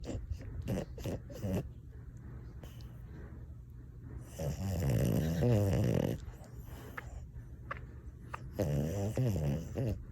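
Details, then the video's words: Sleeping French Bulldog snoring: two long, loud rattling snores from about 4 to 6 and 8.6 to 10 seconds, preceded by a run of short snorting clicks, with quiet breathing between. "Funny French Bulldogs - Snoring Compilation"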